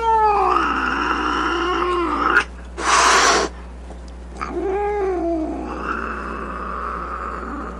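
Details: Angry domestic cat with a wavering moan that breaks into a short, sharp, breathy hiss of under a second. After a pause it returns to lower, arching growl-moans.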